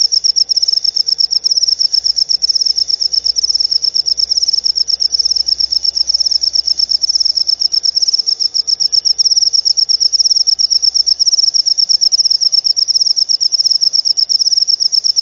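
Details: Continuous high cricket trill played to repel rats from caged pet birds and to attract lovebirds; fast, unbroken pulsing stays steady in pitch and loudness, faint low hum underneath.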